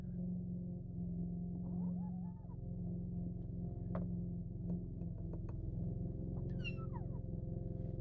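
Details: Overprotective kitten with its food, making a soft low murmur and then a clearer falling meow near the end, against a constant low hum.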